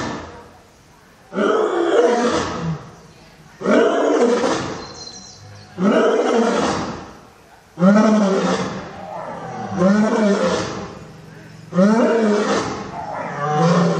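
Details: A zoo lion gives a series of deep, powerful roars, each lasting about two seconds.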